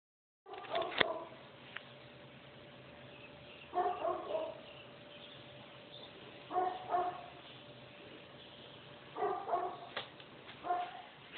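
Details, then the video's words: Nuisance dog barking in Manhattan Beach, captured on an Android phone on 15 July 2011 at about 8:22 am; short clusters of two or three barks recur every few seconds over a steady faint background hum. "dog barking nuisance"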